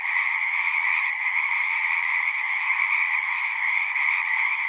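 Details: Massed frog song, a thick, pulsing drone of countless overlapping trills held at constant loudness, its sharp upper layer and softer lower layer running without a break through the short stretch.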